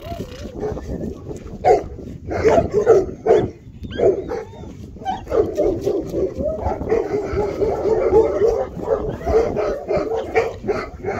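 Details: Young Bernese Mountain Dog, an eight-week-old black male puppy from Colline d'Eole, yapping in rapid, insistent high squeaky barks, at times overlapping into continuous whiny yelps, with light handling noise behind.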